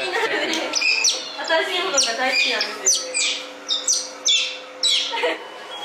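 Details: Baby otters at an otter cafe in Ikebukuro, Tokyo, friendly and curious while playing with a visitor, squeak and chirp in high, piercing bursts, one after another.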